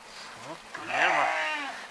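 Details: Romanov sheep during spring 2019 hoof trimming in Tver Oblast, Russia, a mostly stall-kept flock: a wavering, tremulous bleat of about a second rises over a man's nearby speech.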